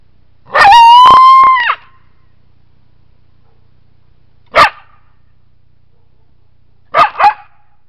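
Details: A coyote gives one steady, slightly rising howl, then a few short, sharp yips.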